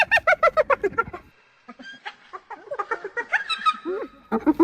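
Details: Hyena giggling in a fast series of staccato yelps, then a pause and softer, wavering calls before another short burst of sharp notes.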